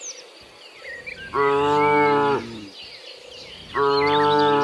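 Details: Tame cattle roaming through forest give two loud, rich moos, the first about a second long, the second starting near the end, over steady background chirping of small birds.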